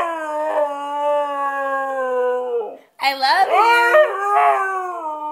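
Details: A white Siberian Husky "singing" loudly gives a long howl, first steady, then breaking into rising, wavering notes.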